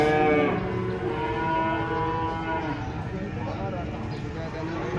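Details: Cattle being unloaded from a truck, one jumping down and falling; a long, low, harmonic moo fading over several seconds amid steady background noise.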